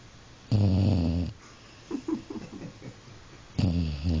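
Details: Dog asleep, giving a long low snore, then a few soft snuffling breaths, then another rumbling snore starting.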